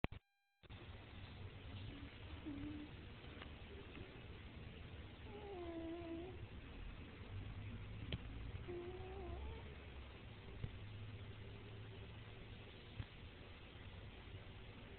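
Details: Sleeping domestic cat snoring: a steady low rumbling breath noise throughout, with a few faint higher squeaky tonal sounds near the middle.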